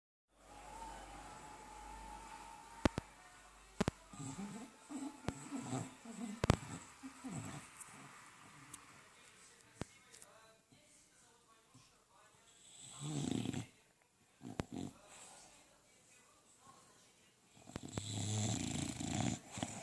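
An English Bulldog snores in rough, low, rumbling bursts with snorting breaths between them.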